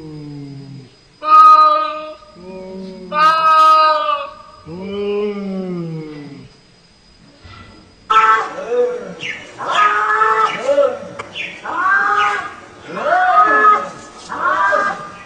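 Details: Cats talking to each other: a series of loud, wavering meows and yowls, some rising and some falling. Near the end come busier, overlapping calls and a buzzy background.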